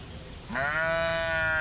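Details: Sheep in a field: a brief low grunt, then a loud, sustained bleat holding a level pitch with strong harmonics until the end.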